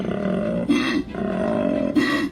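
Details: Male koala bellowing, a call said to sound like a cross between a pig and a motorbike and to carry up to 5 kilometres, played at Port Macquarie Koala Hospital: a deep, droning, booming rumble broken by two short rasping gulps.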